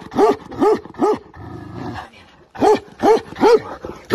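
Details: Tibetan Mastiff in attack mode: three deep, loud barks about half a second apart, a low rumbling growl, a short pause, then four more forceful barks in the same steady rhythm.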